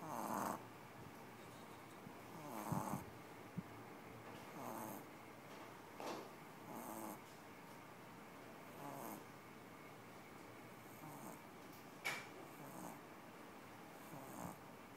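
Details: New puppy passed out asleep and snoring loudly: soft breathy snores roughly every two seconds, rising and falling gently over a steady hiss of background noise.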